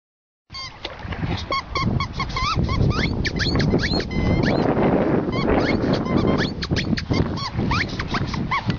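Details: Emo, a cocker spaniel, meets the sea for the first time: rapid high squeaky yelps and rising whines tumble out irregularly, about two each second, over steady surf rush, with people cheering and urging in Greek.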